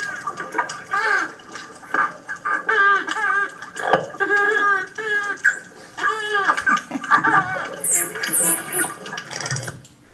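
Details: Wild dolphins, a young male coalition at play practising chasing an individual, give repeated squeaky, nasal squeals with strong harmonics, each burst bending up or down in pitch, with brief high hissy clicks and a faint underwater wash behind.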